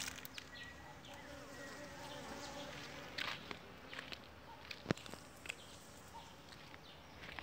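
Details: Honey bees hard at work inside their hive on the second super, combs only about three weeks old and almost full; a steady, low, dense hum with scattered clicks and taps throughout.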